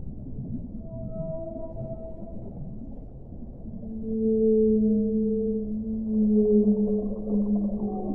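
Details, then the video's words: Whale song of long, smooth tonal moans, with faint higher held notes early on, then louder, overlapping sustained low and mid-pitched tones swelling from the fourth second onward over a steady underwater rumble. "1 ora di suono delle balene"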